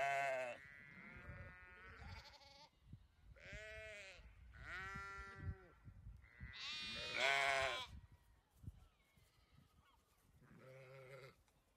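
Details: Domestic sheep bleating, several harmonic-rich wavering bleats of varied pitch, some long and loud, in quick succession with short gaps, possibly more than one animal, over low rumbling background noise.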